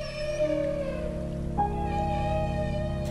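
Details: Alaskan humpback whales cooperatively bubble-net feeding: diving below herring schools, they give a loud, sustained, trumpeting feeding call that jumps higher partway through, possibly from a leading whale sounding the charge.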